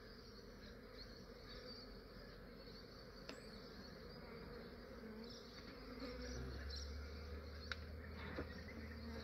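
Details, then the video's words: Honey bees from a massive swarm captured at dawn in Australia, gathered into a swarm trap before the heat made them active; a continuous low droning buzz with a low rumble building near the end. "Aussie beekeeping, Capturing a massive bee swarm"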